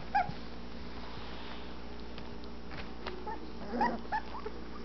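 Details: Twelve-day-old Anatolian Shepherd Dog puppies from the Zor x Anya litter of 17 March 2012, eyes just opening, exploring their whelping box indoors; short high squeaky whimpers at the start and a cluster near the end over steady room hum.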